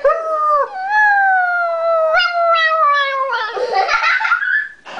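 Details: Toy Poodle. A toy poodle gives a drawn-out, tuneful howl, starting with a quick rise then gliding slowly lower over several seconds. Near the end the voice turns harsh and broken, ending in a short yelping burst.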